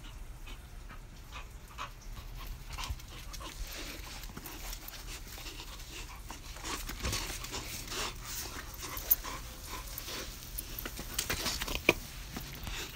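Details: Lola, a five-month-old Pit Bull and Golden Retriever mix puppy, pants softly and unevenly in quick breathy puffs, with a faint steady hum and a few sharp clicks in the background.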